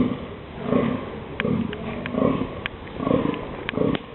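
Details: Male deer during the October mating season in the dunes, giving rhythmic deep grunts: five hoarse, low belching calls in about four seconds, each a short swelling burst, with faint clicking noises in between.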